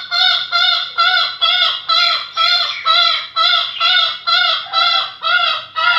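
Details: Rare Bekisar fowl calling steadily: loud, ringing, harmonic notes with a slight downward bend, repeated roughly twice a second for the whole stretch, on a clean background.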